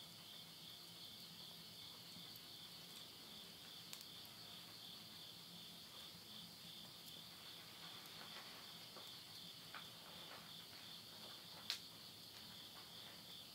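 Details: Insects trilling at midnight at the end of summer in the countryside of Yurihama, Tottori, Japan, September 2020; a steady, dense high buzzing drone runs unbroken, with occasional soft crackles and pops from wood burning in a house stove.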